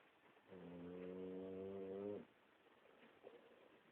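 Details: Sleeping Boxer dog gives one steady, humming snore lasting nearly two seconds, then breath noise and a faint click.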